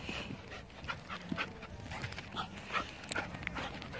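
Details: Labrador Retriever at a carousel, breathing in quick, breathy, uneven panting bursts about two per second, with scattered higher clicks and background hiss.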